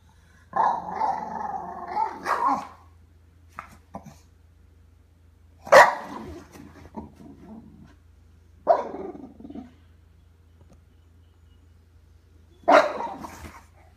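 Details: Grouchy Bulldog growling. Four rough, harmonic, grumbling growls, each about one to two seconds long, separated by quiet pauses of a few seconds. The first growl is the longest and wavers in pitch.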